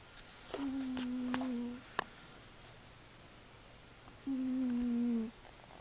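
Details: A cat asleep and snoring, giving two even, low-pitched tonal snores of just over a second each with a long silent gap between, plus a few soft clicks and taps in a quiet room.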